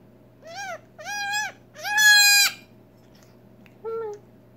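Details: Newborn female Nigerian Dwarf goat kid, just over six hours old, unable to walk or feed on her own, bleating indoors while syringe fed colostrum: three high, wavering bleats, the third longest and loudest, then a short, softer bleat after a pause.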